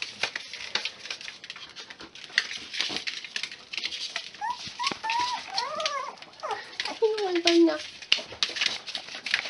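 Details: Six-week-old Miniature Pinscher puppies from litter X, sired by Homokháti Fürge Delon out of Bácskautcai Léda; a run of thin, arching whines and squeaky whimpers rises and falls midway, over steady clicking, rustling and handling noise.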